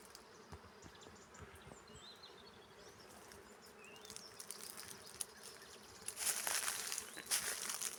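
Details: Many honey bees foraging on a flowering carob tree, filling it with a dense, steady buzzing hum. Sharp rustling clicks run through it, and the sound grows louder and brighter near the end.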